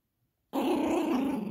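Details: Female Yorkshire Terrier puppy at play, tugging a monkey dog toy and growling. Silence breaks into a sudden, sustained, low throaty growl. It is steady and gravelly with a fast pulsing texture and lasts about a second.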